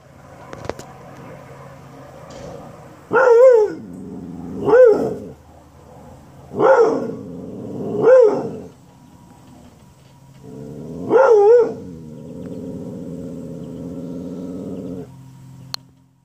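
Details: Female pet dog barking at a brown UPS delivery truck, seemingly offended by it: five loud, harmonic barks spaced about two seconds apart, with a steady low hum in the background.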